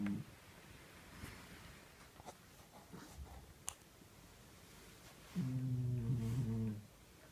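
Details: A sleeping house cat gives one buzzing, low-pitched snore of about a second and a half near the end, after faint clicks and shuffling sounds in a quiet room.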